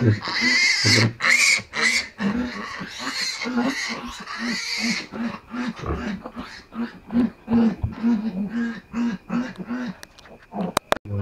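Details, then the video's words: Domestic sow giving birth before dawn, a farm in the Philippines: steady rhythmic short low grunts, about two per second, continuing throughout, with a person talking loudly at the start and a sharp click near the end. "MADALING ARAW NA NAGSILANG ANG AKING INAHIN BABOY"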